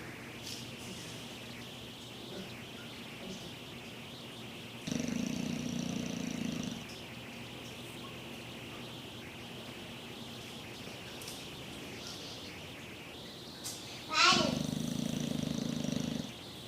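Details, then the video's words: Sleeping English Bulldog snoring: two long, rough, low breaths of about two seconds each, some nine seconds apart, with a steady quiet hiss between them and a sharp click just before the second snore. "Bulldog ingles roncando"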